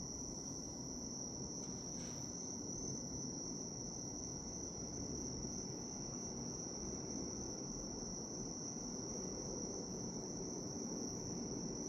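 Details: Bell cricket singing in a soothing natural soundscape: a constant shrill, ringing tone holds without pause above a muffled low background hum, with one faint short disturbance early on.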